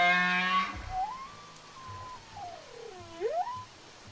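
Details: Whale song underwater: a rich harmonic moan that breaks into a long, thin gliding whistle, dipping low and sweeping back up near the end, with faint low knocks beneath.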